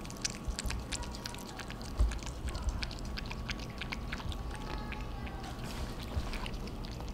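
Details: Theo and Thea, a pair of pet cats, noisily eating their dinner; dense run of sharp wet smacks and licking clicks, several per second, over faint indoor background hum.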